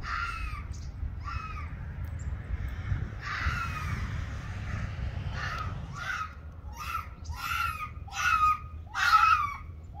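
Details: Ianto, an Arctic fox, disputing with Waverly the red fox: a series of hoarse, screechy calls, some drawn out and some clipped, growing louder near the end, over low background rumble.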